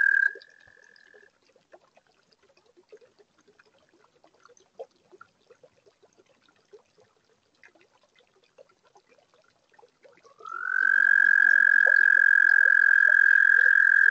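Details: Toads singing on a warm spring night at a garden toad pond built in spring 2022, recorded by a webcam: mostly quiet with faint ticks and drips, then a loud, steady, high sustained trill begins near the end and carries on.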